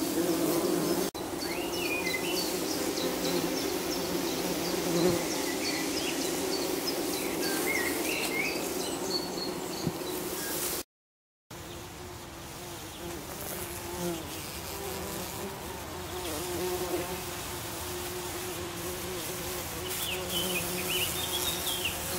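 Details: Buff-tailed bumblebees make a steady, low droning hum at their nest, where young queens rest on the lid, with faint bird chirps behind.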